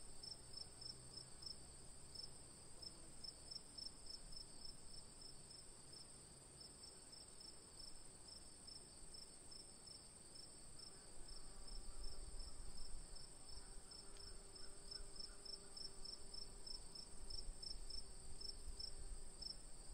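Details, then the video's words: Autumn-night insect chorus at a campsite: crickets give quick regular high chirps over a constant shrill drone, with a faint low hum and a brief louder rumble midway. "가을밤 풀벌레소리"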